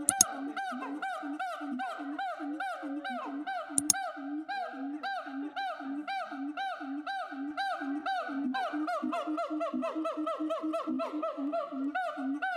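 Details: Siamang (Symphalangus syndactylus), call.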